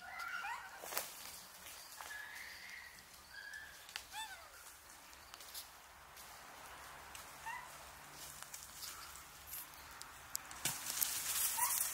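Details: A baby female Japanese macaque at a monkey centre on Awaji Island, Sumoto, Hyogo, Japan, recorded 16 March 2024, gives soft, thin, whistle-like calls, some sliding downward in pitch.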